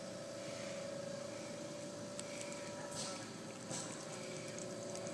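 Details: Steady electrical hum over a hiss of room noise, broken by a few soft clicks and bumps, with no animal sound.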